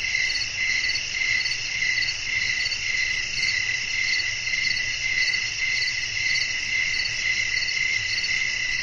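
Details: A nighttime natural soundscape of crickets with wind: dense, ringing high chirps pulse evenly about every half second, with a continuous shrill drone above and faint low wind noise.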